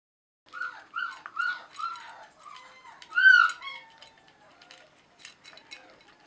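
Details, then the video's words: Four-week-old German Shorthaired Pointer puppies from a hunting dog kennel, sired by KS Conan Seehof out of Lorelei de Valcreole; a run of high, wavering whimpers and whines, several short cries in quick succession, then fading yips. "HUNTING DOG PUPPIES"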